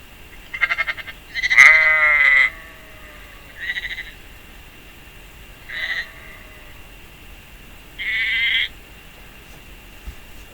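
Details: Prins, an Icelandic lamb, bleating to call his mother after apparently losing her. A long, quavering opening bleat is followed by three shorter, wavering cries spaced a couple of seconds apart, with near-silent pauses between them.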